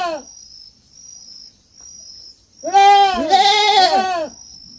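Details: Young goat on a farm giving one loud, wavering harmonic bleat about a second and a half long, overlapping a second voice near the end; a steady high insect-like whine runs throughout.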